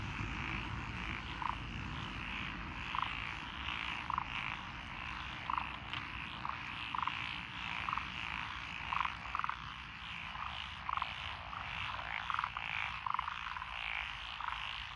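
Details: Rice-paddy frogs among lotus fields in Echizen, Fukui, Japan, June 2021: a steady chorus with one nearer frog giving short croaks about every second and a half over a continuous low rumble.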